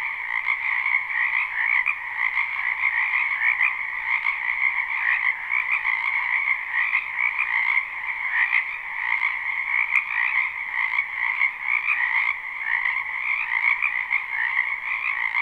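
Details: Spring wetland frogs croaking en masse in a live, unlooped recording; an unbroken chorus of pulsing trills blends two layered pitches into a constant wall of sound, with a brief sharp tick near the middle.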